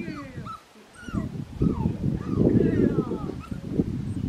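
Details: Black tri female Australian Shepherd puppy whimpering: a run of short, high, curved whines, some rising and some falling, repeated several times a second over a low murmur of human speech.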